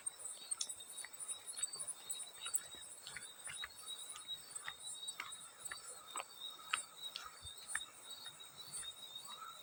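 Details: High, unbroken trilling of a field cricket over soft background hiss, with scattered light water splashes and drips breaking in every second or so.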